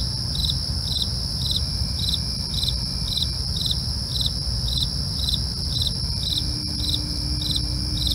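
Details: Crickets chirping at night: a regular pulse of brief bright chirps about twice a second, layered with an unbroken shrill trill and a low steady rumble throughout.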